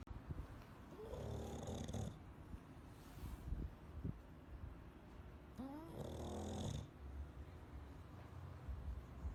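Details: A Bulldog asleep and snoring: two drawn-out, raspy, gurgling snores about four and a half seconds apart, each rising then fading, over soft breathing in a quiet room.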